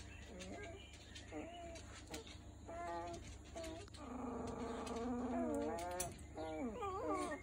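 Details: Three-week-old Miniature Schnauzer puppies whine and squeal in thin, wavering, overlapping cries.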